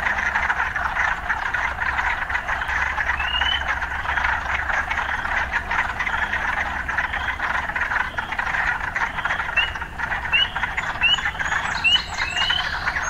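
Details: Urban frogs in steady chorus, a continuous pulsing drone. A few scattered rising chirps early on grow more frequent in the last few seconds.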